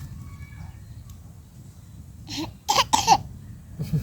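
A few short, rough human bursts, like coughing or laughing, over a steady low rumble of background noise.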